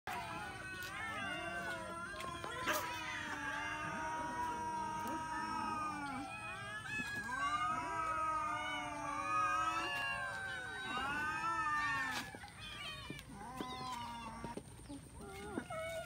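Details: Many kittens eating rice, mewing constantly in overlapping, wavering cries that rise and fall, several voices at once, with short clicks and small knocks between calls.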